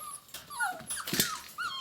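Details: Six-week-old puppies whining: thin, high, tonal whimpers that slide downward in pitch, several overlapping, with soft clicks and rustling between them and a final short rising-then-falling whine.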